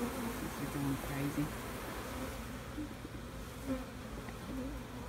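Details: Bees buzzing during a hive check on a new queen bee: a steady low hum with wavering tonal drones that rise and fall, and soft rustling in the background.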